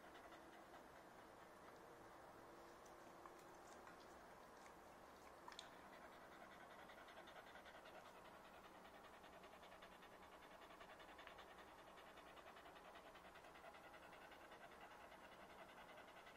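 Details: A happy Corgi panting steadily, fast soft breathy pulses at roughly two or three per second, with a few faint clicks and taps partway through.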